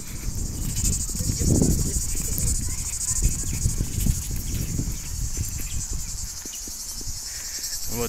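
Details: Cicadas singing in Uchkuevka park on a summer walk, 2 August 2020: a continuous high, shimmering drone throughout, with footsteps and low rumbling noise underneath.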